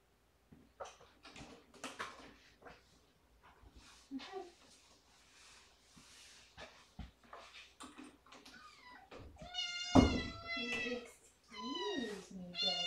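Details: Cat demanding his dinner indoors: a run of loud harmonic meows near the end, rising then falling, after scattered soft noises and clicks; a man speaks nearby about giving eye drops first.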